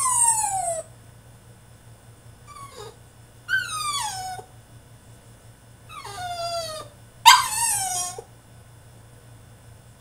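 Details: French Bulldog throwing a tantrum in his cage, producing repeated long whines that fall in pitch, roughly every one to two seconds in bursts, one ending in a harsh yelp, with steady low hum.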